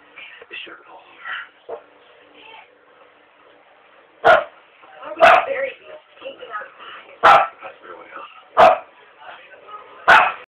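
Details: Domestic dog letting out five loud, clipped barks in the second half, roughly one to one and a half seconds apart, over continuous human speech that dominates the opening seconds.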